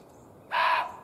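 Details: Muntjac deer, a male, barking at an observer's scent from across a hedgerow in a field after alerting and stamping the ground; one loud, harsh, abrupt bark lasting about a third of a second over quiet background.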